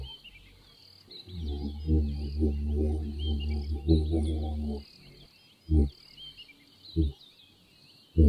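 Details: Giraffe humming: a deep, droning hum with stacked harmonics, lasting about three and a half seconds with a pulsing texture, then three short low grunts. Faint high chirping fills the background throughout.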